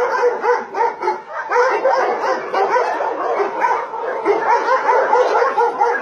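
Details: A continuous wall of barking from dogs at a combined meat farm and puppy mill in Nonsan, South Korea, January 2017, where 150 dogs of breeds including Doberman and Golden Retriever are held; barks overlap without pause.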